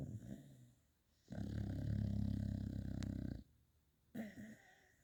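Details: Sleeping beagle snoring and dreaming in a four star hotel room: one long low rumbling snore of about two seconds, a quieter breath before it and a short snort after.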